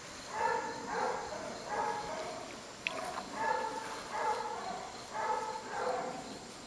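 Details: Wally, a neutered Basset Hound and former stray from a West Virginia shelter, up for adoption. He gives muffled, tonal, harmonic bark-like calls in short bursts about once a second, over a steady hiss with a faint high whine.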